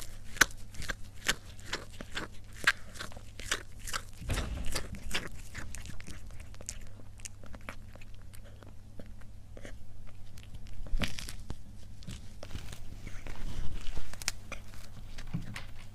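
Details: Cat mukbang ASMR in a small room: rapid crunching and chewing, about three bites per second in irregular bursts, with louder rustling handling noises near the middle and the end, and a low hum throughout.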